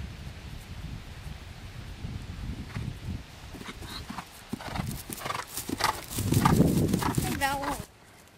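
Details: Hoofbeats of a horse schooling over a cross-country course as it learns to jump, quick uneven thuds growing to a loud rumbling burst near the end, with a brief wavering voice-like sound and outdoor wind.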